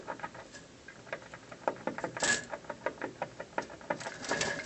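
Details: A squirrel chewing on an office building from its windowsill in the afternoon: repeated crunching rasps at an uneven pace, with a brief louder scrape near the middle and harsher grinding toward the end.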